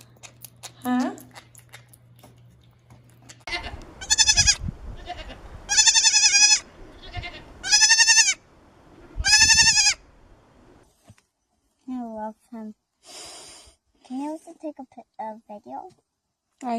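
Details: Baby goats (kids) bleating: four loud, harmonic, wavering bleats about two seconds apart, then quieter voices and music.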